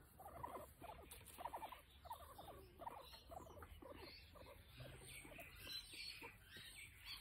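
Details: Pet guinea pig during nail clipping, giving short bursts of squeaky chirps in quick clusters, with handling rustles and a faint steady background hum.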